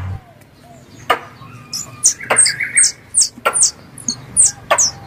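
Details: Squirrel calls from a three-in-one lure mix for hunting squirrels: after a quiet start, sharp high squeaks, each paired with a dry click, arrive in quick irregular bursts over a faint low hum.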